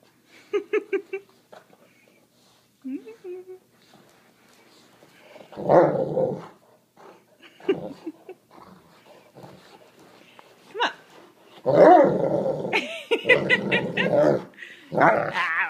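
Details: Great Dane rolling on the carpet, with rough, broadband growling bursts, longest and loudest near the end, interrupted by a person speaking and scolding the dog to stop, indoors.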